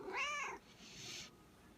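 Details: Hungry house cat talking back to its owner with a single clear, tonal meow arching up and down over about half a second, then a soft breathy hiss.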